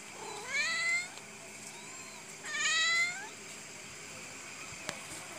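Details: Kitten meowing: two rising-then-falling plaintive meows about two seconds apart, with faint background hiss and a soft click near the end.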